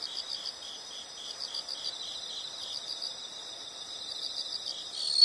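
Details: Soft insect chorus in a calming nature recording: quiet, evenly spaced high chirps repeat steadily throughout, with no loud trill, ending in a brief sharp high note.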